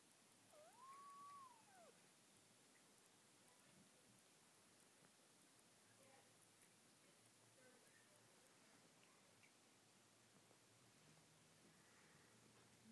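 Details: Snow Bengal kitten a couple of weeks old, lying with its mother and littermates indoors; a single soft arched meow in the first two seconds, then quiet room hiss.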